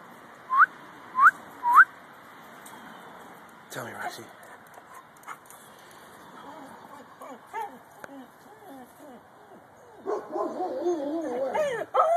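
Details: A purebred Siberian Husky gives wavering, rising-and-falling howls after three quick whistled notes from a person.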